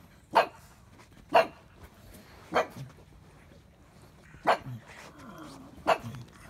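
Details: A pug gives five short, sharp barks spaced one to two seconds apart, each an abrupt loud burst against a quiet indoor background.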